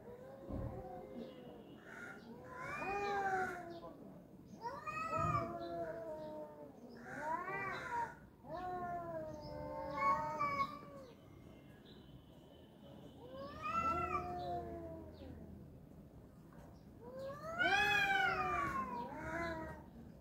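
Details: Two male cats fighting. Repeated arching yowls come roughly every two to three seconds, each swelling upward in pitch and then sliding down. The wails alternate with low growling between bursts.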